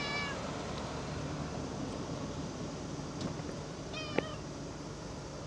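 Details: Cat meowing during August 2024: one short meow at the start and another about four seconds later, with a sharp click and steady low rumble underneath.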